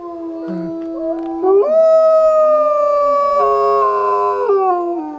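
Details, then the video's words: Howling wolf pack in Idaho, set off by a man howling to a white wolf: a low held howl is joined by higher voices that swell into a sustained, layered chorus, then drop together near the end. "Howling Wolves"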